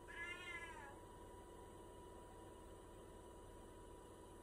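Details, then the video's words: Pet cat asking for a snack with a single short meow, arching up and down in pitch, followed by several seconds of quiet room hum. "Cat meow’ wants a snack"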